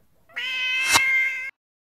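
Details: Domestic cat trying out a new pet stroller, giving a single drawn-out meow of about a second, steady and tonal with a slight rise at the onset, followed by silence.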